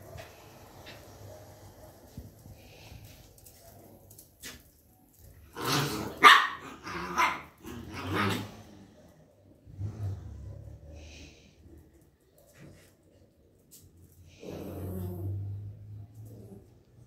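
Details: A Miniature Schnauzer gives a burst of sharp, rapid barks with some growling in between.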